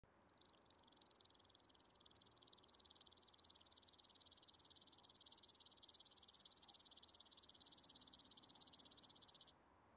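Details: Woodland grasshopper singing on the Gaisberg, Austria, on 15 September; captured with an ultrasound detector. One sustained high, hissing buzz of rapid pulses lasts about nine seconds, swelling gradually in loudness, then stops abruptly.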